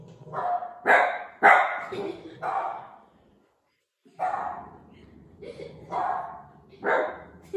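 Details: A Cavalier King Charles Spaniel gives sharp, high barks in short bursts, reacting to the sound of barking.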